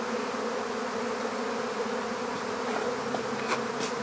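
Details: Swarming honeybees during capture into an empty hive, their continuous low hum steady and full, with a few faint sharp ticks near the end.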